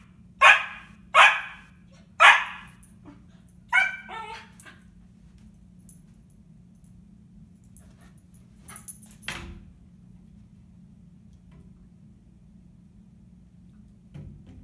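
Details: Female Siberian Husky puppy vocalizing at a window toward the puppy she sees there: three sharp barks about a second apart, then a pair of higher, tonal yipping whines, trailing into quiet with a few faint scuffs and a soft thump.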